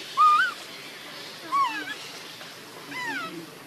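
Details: Baby monkey with its mother Luna giving three clear, whistled, wavering coos, each rising then dipping with bright overtones, about one every one and a half seconds, the last one softer and longer, over a faint background hiss.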